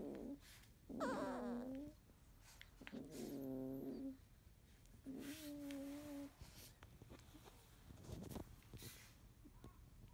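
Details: Field-type Labrador Retriever puppies, 31 days old, on a sleepy morning, one yellow female awake while littermates sleep: several drawn-out, tonal whines with wavering pitch, each a second or so long, separated by quiet pauses and soft rustling.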